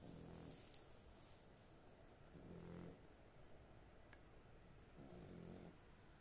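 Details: A snoring female dog, sleeping well: three low, gravelly harmonic snores spaced about two and a half seconds apart, with a faint click and soft room hiss.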